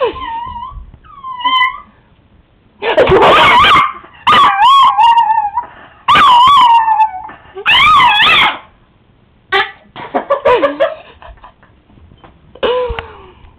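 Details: Pet male Chihuahua howling from excitement: drawn-out, wavering tonal howls that rise and fall, broken up by loud, harsh bursts. Several howls arrive in quick succession, with short quiet gaps between them.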